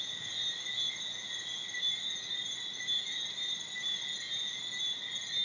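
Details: Thousands of tree frogs in Bermuda, singing from late afternoon until late morning with a few crickets, form a dense chorus that blends into a steady, high, shimmering whistle with no breaks.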